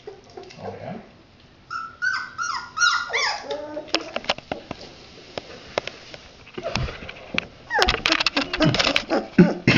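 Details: Red Standard Poodle puppies at play with their father indoors. A burst of rapid, falling, high-pitched yips is followed by clattering and scuffling, then a dense flurry of squeals and yelps.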